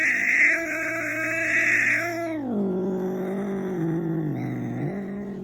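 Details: Domestic rescue cat, said to be hungry and talking back, gives a long drawn-out meow. The call starts high and strained, then drops into a lower wavering moan that dips and rises again.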